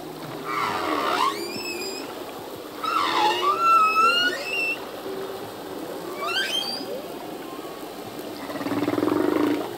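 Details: Humpback whale song from a singing male, a full-length performance: repeated bursts of sharply rising whistled upsweeps with harmonics, separated by low moans, every few seconds over a hissing sea background.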